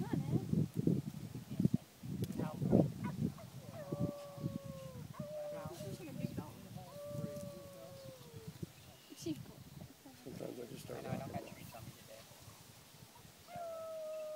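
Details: Renki the dog howls in long, steady, mid-pitched notes that sag slightly at the end, several drawn-out howls spaced a few seconds apart, with people talking and rustling nearby.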